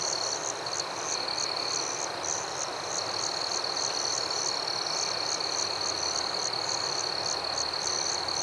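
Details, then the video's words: A nocturnal cricket chorus in forest: an unbroken high-pitched ringing note with regularly spaced sharp chirps layered above it, and a broad hiss filling the lower range. "Crickets at Night"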